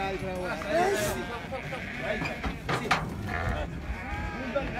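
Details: Moroccan sheep giving short quavering bleats, one rising cry near the start and another tremulous call toward the end, mixed with human voices and general crowd noise.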